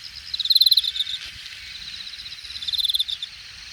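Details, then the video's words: Grass insects in late-summer grass, Hangang Park Jamwon district, Korea, August 2021: two quick runs of about ten sharp pulses each, separated by two seconds, capped by a shrill high buzz, with a soft background hiss. "늦여름, 풀섶에서 들려오는 풀벌레 소리"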